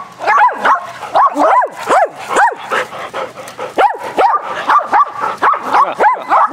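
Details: Several dogs named Athena, Brando, Rocko and Charlie playing rough fetch on a spring day, barking in quick overlapping bursts, sharp arched yelps coming about three per second with little pause between them.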